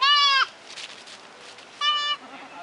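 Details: Goat kids, white and red, giving two short quavering bleats about one and a half seconds apart, with quiet rustling between them.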